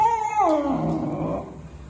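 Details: Miniature dachshund at play, giving one loud, clear whine that starts high, slides steeply downward and then trails off in a lower, wavering tone over about a second and a half. No other sounds intrude.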